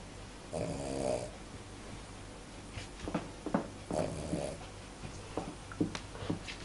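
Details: Tenten, a sleeping Cavalier King Charles Spaniel, snores indoors: two drawn-out, rumbling breaths about three seconds apart, with soft clicks and rustles between them.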